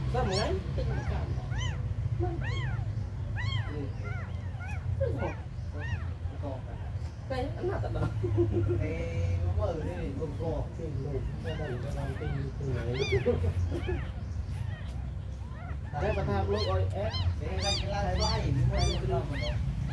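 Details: Tiny abandoned kittens mew throughout, with high, arched cries that overlap from several animals, often in quick runs. A steady low rumble sits underneath, and a short stretch near the middle may hold a voice.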